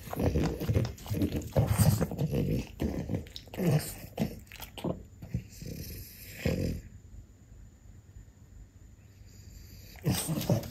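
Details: French Bulldog mother and daughter, Ume and Roku, trying tomato: rapid low grunting snorts and chewing crowd the first seven seconds, then near quiet with a faint hum before one last snuffle burst.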